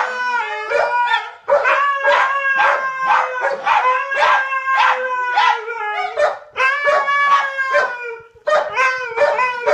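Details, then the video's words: Three pet dogs, one a white husky, howl against each other in a loud contest; harmonic howls swell and dip, interrupted by clipped barks and brief gaps near two and eight seconds. "Trio of dogs engage in extreme howling contest"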